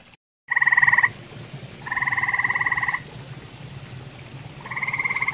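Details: Three pulsed grey tree frog trills, each about one second long, rise out of a quiet pond background. The pond is shared with common toads.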